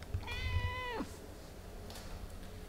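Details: Meow from a cat in a family of mother cat Ophelia and her kittens Pixel, Garfield, Bianca and Caramel at play: one clear, drawn-out, tonal cry lasting under a second that slides downward at the end, then quiet.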